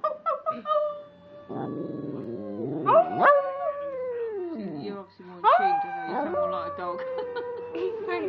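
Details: Pet dog howling alongside a person: short yips at the start, then wavering tonal howls that swoop up and down, ending in a long steady falling howl, with human voices mixed in.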